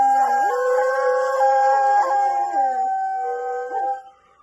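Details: Husky dog giving a drawn-out, sustained howl that holds a level pitch, steps up and down several times, and slides lower before fading out at the end.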